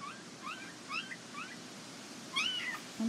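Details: Border Collie puppies at the International Peace Gardens on 12 August 2018; a run of short, high, rising squeaky whimpers, about five in quick succession, then a louder upswept whine, over quiet room noise.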